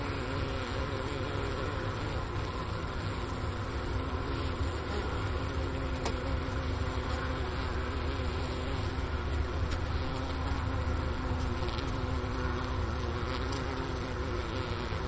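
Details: Winter honey bee hive, Ohio State University Wooster campus, about 4 PM on January 16, 2024, 15°F outside, recorder placed next to the inner-cover hole and remains of a sugar brick; long steady low-pitched hum with faint tonal layers throughout.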